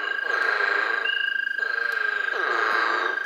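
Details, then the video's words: American toads in Tennessee give a long, steady, high musical trill that holds one pitch without a break, with several callers overlapping into a continuous chorus. "You got American toads calling there."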